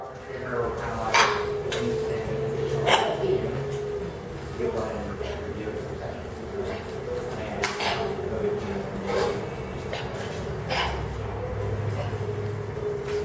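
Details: A French Bulldog puppy with kennel cough (CIRDC) gives harsh, hacking coughs in short bursts.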